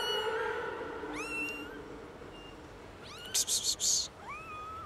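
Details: High, upward-sweeping meows from three little kittens discovered in a garden, calling loudly; three rising cries separated by short pauses, with a sharp burst of rustling or clicking noise between the second and third.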